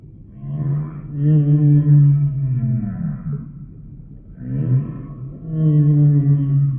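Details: A humpback whale sings two long, resonant moans separated by a quieter gap. Each opens with a rising, sweeping onset, then holds a deep, buzzy tone rich in overtones before gliding down.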